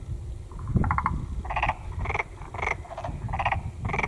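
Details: Black-spotted pond frog croaking: short rattling, pulsed croaks repeated about every half second to second, loud and close, over a low rumbling background.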